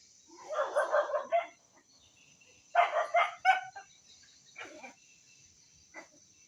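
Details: Indonesian village dog (anjing kampung), recorded Friday 18 November 2022, giving two bursts of rapid, rough yapping barks, then a few softer, spaced yelps; a steady high hiss runs underneath throughout.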